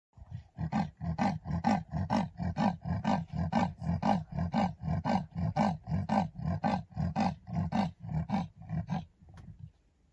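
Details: A big male leopard defends his territory at sunset in the Masai Mara, Kenya, with a rasping, saw-like roar of deep grunts, about two each second.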